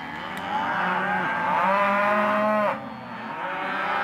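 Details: Half-tooth Hereford and Careta cows in auction lot 17: one long, strong moo of nearly three seconds ends abruptly, followed by quieter lowing.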